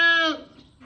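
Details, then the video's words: Goat at a first-time birth giving one short bleat, a strongly harmonic tone that slides slightly downward and fades within half a second, leaving faint low noise afterward. "First time ko magpanganak ng kambing"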